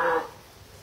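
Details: Snow leopard named Mircha at Tama Zoological Park, Japan, filmed in October 2012 crying repeatedly, possibly at the start of the mating season; a single short harmonic wail lasting about a fifth of a second, then quiet room hum.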